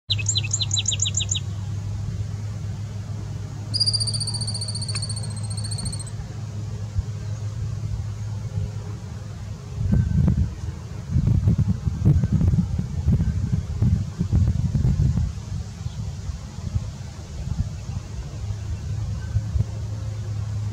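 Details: A thirteen-lined ground squirrel in southeast Wisconsin, recorded from a distance, gives a shrill, rapid trill and then a long, thin, high whistle.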